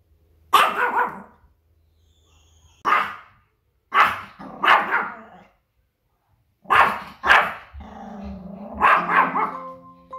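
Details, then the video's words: A Pomeranian barks in alarm at strange sounds, scolding to defend its territory. Loud, clear barks come singly and in doubles at uneven gaps, then end in a longer whining, tonal yelp. "Лай собаки малый шпиц"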